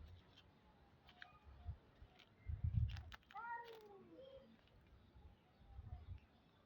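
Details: White kittens being fed in a garden, eating the cheese rather than bread; one drawn-out meow sliding downward in pitch, with a few fainter short mews before it and low rumbling background noise.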